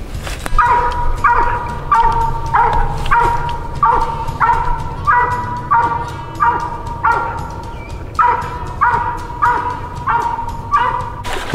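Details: Hunting dog barking during a night coon hunt, a mountain cur or a walker female out with a family: loud, steady barks repeated about every half second for over ten seconds, with a faint low hum underneath.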